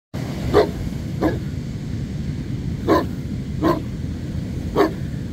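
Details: Black Newfoundland at the beach, one of two being walked, demand barking at the handler to seek connection; five short, loud barks spaced about one second apart over steady surf and wind noise.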